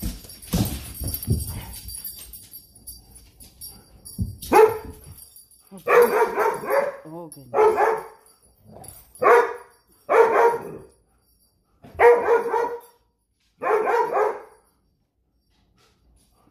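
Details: Big dog with the zoomies, barking loudly at home: a run of seven or eight sharp, full barks spaced one to two seconds apart, after a woman's voice and faint music at the start.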